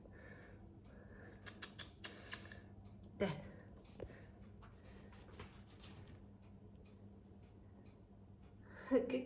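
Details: Quiet room with scattered tapping and clattering of a toy, a low hum and brief soft rustles; no clear animal call.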